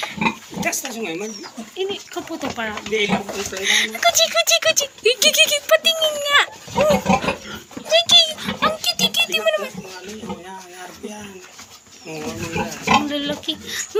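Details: Squeaky, wavering cries from healthy newborn piglets just delivered by a farm sow a day early, short rising and falling squeals repeated roughly once a second, mixed with soft grunts and people chatting nearby.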